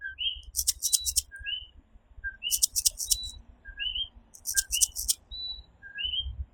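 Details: Puerto Rican coquí frogs calling at night, many overlapping two-note calls, each a brief low tone followed by a rising higher whistle, with rhythmic bursts of very high insect buzzing and a steady low rumble beneath.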